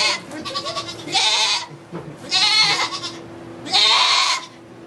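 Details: Goat in a sugar shack in Quebec, Canada, during the birth of two kids, recorded on an iPod Touch 4G: three loud, wavering, harmonic bleats about a second apart, with a faint steady hum and soft background noise between calls.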